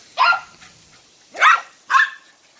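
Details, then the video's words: Excited Dachshunds going crazy for water outdoors give three sharp, high barks, one early and a close pair near the end, over a faint steady background hiss. "My dogs going crazy for water - Dachshund"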